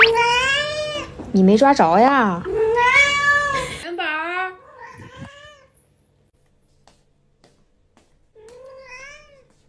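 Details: Cat Yuanbao talking back while being scolded early in the morning for wanting more food after just eating; loud overlapping speech and wavering meows at the start, then fainter meows, a pause, and a final meow.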